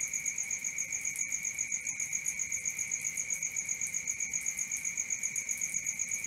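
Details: Crickets at night: a dense, unbroken high-pitched trill in two bright tones, pulsing steadily about four times a second, with no other voices or noises.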